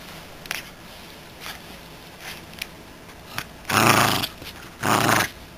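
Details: Miniature Schnauzer dog playing with a toy squirrel: two short, rough, noisy growls about a second apart near the end, after quiet faint rustling.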